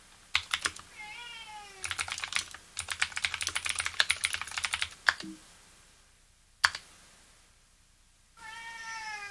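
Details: Domestic cat giving two short, falling, tonal meows, one near the start and one at the end, over loud clicky typing on a Leopold FC750R keyboard with lubricated Cherry blue switches, with quiet gaps between bursts of keystrokes.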